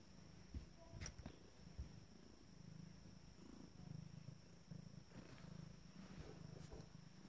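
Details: Abyssinian kittens from a first litter, 14 days old, taking a well-deserved rest: soft, low rumbling purr in short pulsed stretches, with a few faint clicks and rustles over a steady background hum.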